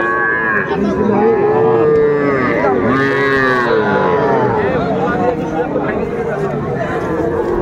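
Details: Young Sahiwal bull calves offered to Dhaka farmers, 11 February 2025: overlapping high, arched bellowing moos from several calves, some long and wavering, with men bargaining over prices and brief music in the background.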